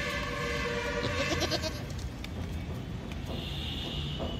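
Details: Goat in a mutton shop with a short, tremulous bleat of rapid pulsed notes, accompanied by a sustained tonal hum and steady low background rumble.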